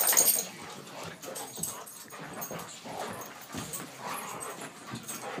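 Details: An English Mastiff and a Pit Bull playing together in an evening romp: short rough growling and whining bursts come in quick succession over scuffling noise.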